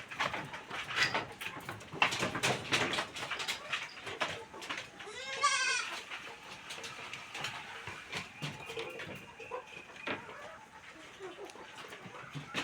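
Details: Goat with a full belly after eating special feed heads back into its shed in the evening, giving one wavering, quavering bleat about a second long midway, amid clattering, rustling and knocking sounds.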